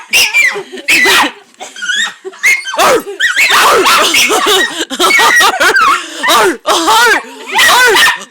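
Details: Jake, a dog, plays with a large stuffed horse in a Hampton summer rental, giving a run of high arching yips and whines that rise and fall quickly, with human voices talking over and between the calls.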